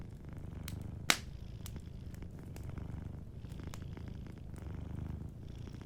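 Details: Sleeping domestic cat purring softly beside a cozy fireplace: a steady, low rumbling purr pulses continuously, while sharp wood crackles and pops from the fire break in, one loud snap early on.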